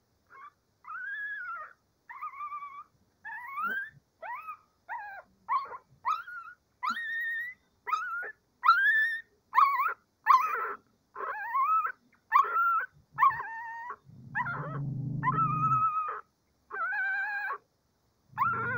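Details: Cavalier King Charles Spaniel puppies of one dam, before breakfast, whine and yip in short, high, wavering cries, one after another.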